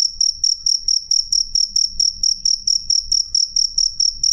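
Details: Clear, loud chirping of a cricket (jangkrik): bright high pulses at a brisk, steady pace of about four per second, faint low-frequency hum behind.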